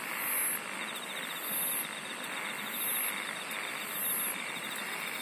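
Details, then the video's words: Steady chorus of singing insects: piercing high buzzy bursts recur roughly every 1.3 seconds above a continuous fine trill and broad hiss. "SINGING OF INSECTS"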